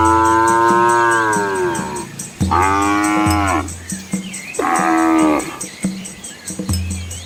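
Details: Asian village cattle and their calves moving along a country road beside rice fields; three long, rich moos, each swelling then falling over about a second, separated by pauses, with steady music underneath.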